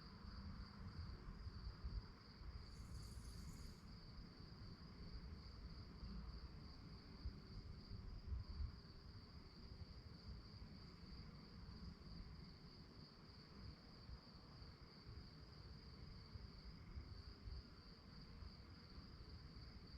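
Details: Crickets chirping at night: a steady, high-pitched pulsing trill that holds unbroken throughout, over a constant low rumble, with a brief hissy burst near the start.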